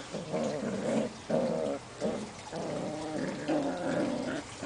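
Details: Portuguese Water Dog puppies, seven weeks old, at play outdoors: sustained gravelly growls in four or five longer bouts, each under a second, with short gaps between.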